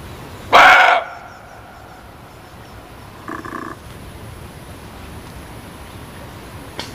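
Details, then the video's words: A loud, rasping muntjac (kijang) bark opens the clip. A quieter, shorter call answers about three seconds later, then the clip settles into faint background hiss. "SUARA KIJANG"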